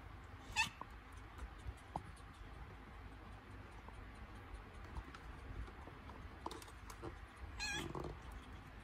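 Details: Domestic cat in labour, having contractions before giving birth; two short, strained meows with stacked harmonics, one near the start and one near the end, over a quiet room with soft rustling between.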